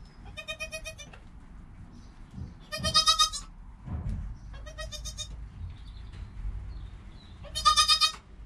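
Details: Joel, a goat kid less than an hour old, filmed on a GoPro with his mother Penny: four high, trembling bleats roughly every one and a half seconds, with low rustling and bumping between them.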